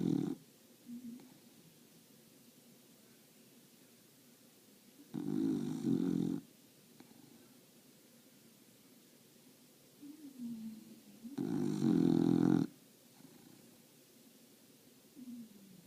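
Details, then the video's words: Napping English Bulldog on a summer day, its snores coming as harsh, throaty bursts roughly six seconds apart, separated by fainter whistling inhales and low breathing in a quiet room. "English bulldog, snore, nap"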